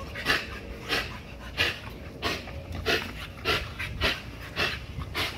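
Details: Heavy, rhythmic panting from an XL American Bully pitbull working a spring pole to build muscle and drain energy; loud breathy bursts arrive nearly twice a second in an even beat.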